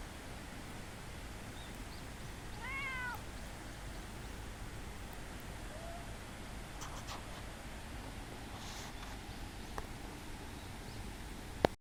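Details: Friendly park cat at Minoo Park, Japan, 18 June 2025, following to a bench and rubbing legs; one clear arched meow early on, later faint rustles and a sharp click at the end, all over steady rushing noise.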